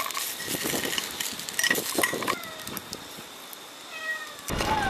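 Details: Island cat on Gwanri-do near Gunsan, South Korea, turning up at mealtime beside a solo hilltop campsite toward evening; a few short arched meows around the middle and end, mixed with clatter and a person's voice.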